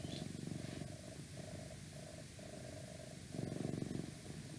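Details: Cat's purr for ASMR: continuous deep, fluttering rumble, louder at the start and again near the end, with a thin steady hum in the background.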